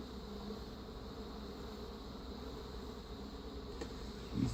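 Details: Honey bees in a backyard hive from a caught feral swarm with Africanized genes, defensive within 20 feet, during queen replacement: a steady, low droning hum with layered tones, unbroken throughout, a faint knock at the very end.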